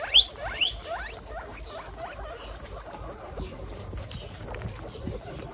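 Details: Guinea pigs, a herd of 26 females across three generations, eating lettuce; two short, sharp rising squeaks open the recording, followed by steady soft crunching and munching of leaves.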